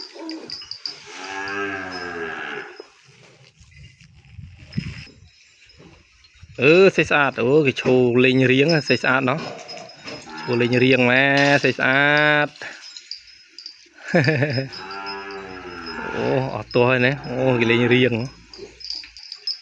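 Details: Calf on a Cambodian cattle farm, kept apart from its mother, crying for her in the pen: several harmonic moos in bursts, some wavering and rising, between quieter gaps with a man talking nearby.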